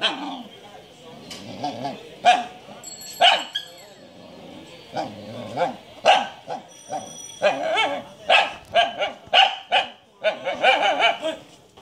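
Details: Barks from a Shiba Inu, Japanese breed, come fast and repeated, rising into a dense run of yappy barks toward the end, with some whimpering and people talking underneath.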